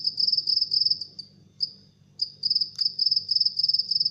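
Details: House cricket. A house cricket chirps in quick, high-pitched trills made of fast pulses, grouped into short bursts. The bursts run steadily with a couple of brief pauses, over a faint low hum.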